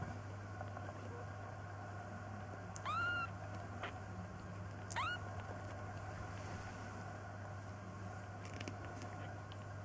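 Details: Nearly three-week-old foster kittens peeking out of a basket, one noted as very noisy with a loud squeak; two short, high, arching mews about two seconds apart over a constant low electrical hum.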